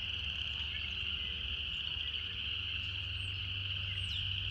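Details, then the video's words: Cicadas singing in a relaxing nature setting: a steady, unbroken high buzzing drone holds one pitch throughout, with a low rumbling hum underneath and a few faint high chirps. "Canto das Cigarras"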